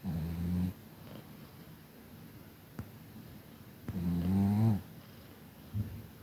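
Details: Kira, a Chihuahua from Tver bred at the Kastropulo kennel in Crimea, snoring indoors: two droning, harmonic-rich snores, the second wavering slightly in pitch, separated by about three seconds of quiet breathing hiss, then a short snort.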